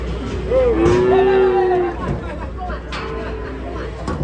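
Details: A fat cow (sapi lemu) gives one sustained, fairly high, steady moo lasting over a second, then falls quiet as low background noise and faint voices continue.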